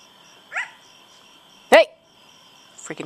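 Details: Coyote recorded at night on August 25, 2011 gives two sharp, yelping yips over a steady high whine, with a person starting to speak; coyotes reportedly call every night here.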